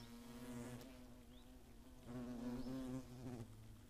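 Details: Hornets buzzing at the nest near Greimersburg in the Eifel, Germany, 15 August 2017; a steady low wingbeat hum with a brief louder surge as one flies by.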